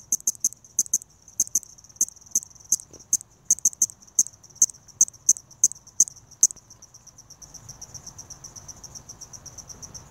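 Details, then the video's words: Balloon-winged katydid (Tympanophora andreae) calling: very high, sharp clicks or short ticks, single or in quick pairs, repeated irregularly about twice a second, stopping after six seconds, leaving faint background hiss. "Balloon-winged Katydid (Tympanophora andreae) Calling"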